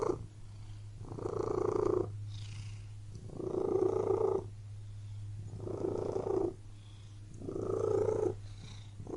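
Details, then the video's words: Purring house cat in a room: rhythmic rumbling phrases on each breath, about four loud bursts separated by softer gaps, over a constant low background hum. "Purring Cat in Room"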